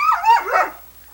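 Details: Sunny, a female Irish Setter who likes to talk, recorded in 1987 on VHS tape, gives a drawn-out, wavering, harmonic yowl that rises and falls twice, much like speech, in a quiet room.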